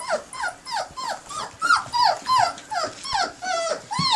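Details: Bloodhound puppies, 19 days old, whimpering: a steady run of high, whining cries that each slide downward, with rich overtones, coming about three times a second and overlapping one another.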